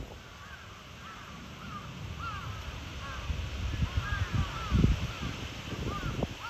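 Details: Zuraya, a cheetah at Chiba Zoological Park in Japan, recorded 8 April 2023, gives short arched chirps near one kilohertz, scattered irregularly and building through the clip over low rumbling background noise.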